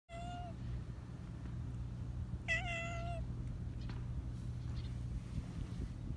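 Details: Talkative black Persian cat with a high voice, turning around restlessly, gives two clear, steady, high meows about two seconds apart over a constant low rumble of background noise.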